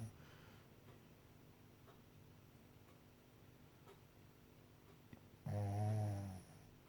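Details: A Shih Tzu lets out one loud, rough snore after a few seconds of quiet breathing.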